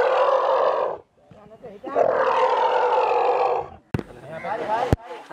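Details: Rescue of an elephant mother and calves that fell into a well. Two long, grating, harmonic roars fill most of the time, followed by a pair of sharp knocks and quieter sounds.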